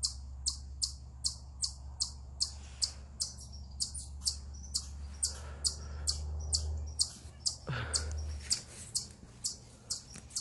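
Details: Eastern chipmunk perched on a rock gives a stress call: crisp, high chips repeated roughly twice a second throughout, with a brief low swooping noise near the end and a faint background hum.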